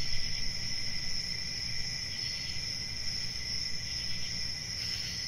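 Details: A continuous, even cricket trill, high and shimmering, with a quieter lower tone alongside; a low murmuring background noise is steady beneath it.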